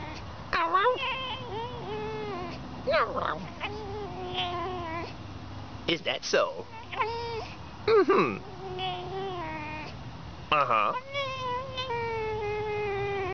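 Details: Fox making high, squeaky, dolphin-like whining calls with rising and falling pitch, in bursts of chirps and squeals, while a person talks to it softly in between.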